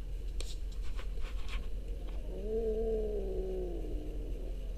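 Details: A few soft clicks, then one orange pet cat's long, low moaning meow that swells gently and slowly droops over two seconds, with a low background hum.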